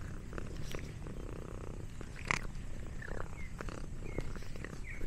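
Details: Domestic cat purring while it eats snacks: a continuous low rumble, with a sharp click near the middle and faint short chirps in the background.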